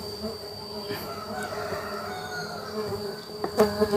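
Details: During a honey harvest from hive boxes, cultivated Laeviceps and hybrid Biroi x Laeviceps stingless bees keep up a steady droning buzz with a high sustained whine, ending in a few sharp knocks.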